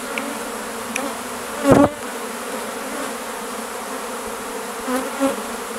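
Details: Inside a swirling swarm of thousands of Western honey bees (Apis mellifera): a steady, low, droning hum with one louder buzz as a bee passes close.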